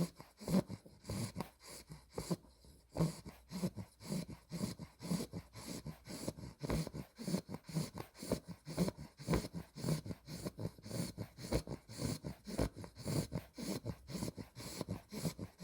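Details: Spaghetti, a female Olde English Bulldogge puppy aged two months with an exotic blue merle tri coat, sleeps and snores. Rumbling, snorting breaths repeat nearly twice a second without stopping, indoors, a short pause near the start.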